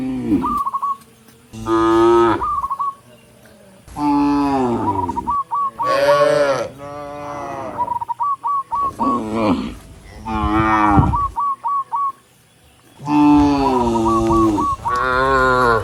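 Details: A herd of dozens of tame cattle walking along a rural road toward the barn, lowing to call other cattle; a long series of overlapping loud moos, some rising then falling, with small chirping notes between them.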